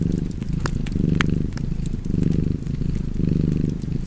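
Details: Cat purring by a crackling fireplace, a low buzzing rumble that rises and falls in roughly one-second waves while occasional fire snaps cut through above.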